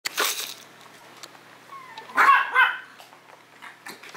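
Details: Misty, a Maltese pet dog from a Maltese and Yorkshire terrier kennel, indoors in a small room: two short, sharp yapping barks, one early and one near the middle, with brief whiny tones between them.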